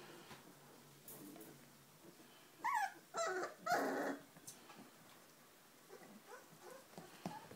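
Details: Giant Schnauzer puppies, four weeks old, from one litter: a short burst of loud, high, wavering whines and yelps in the middle, with quieter soft whimpers and rustling before and after.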